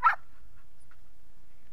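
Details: A dog lets out one short, sharp, high-pitched yip right at the start, followed by near silence with a faint second squeak and low room hiss.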